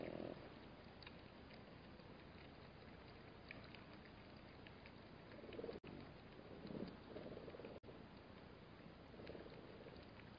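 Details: Black-backed jackal growling at a Namib desert waterhole, disturbed by bat-eared foxes drinking calmly nearby; low, rough rumbling growls in bursts at the start, around the middle and near the end, over a steady hiss with faint scattered clicks.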